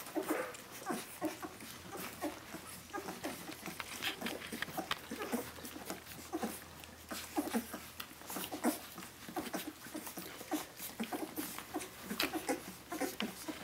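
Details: Litter of 17-day-old puppies calling for their mother Brenda, indoors: a steady stream of short, high whimpering squeaks overlapping one another, with scratchy rustling and soft clicking throughout.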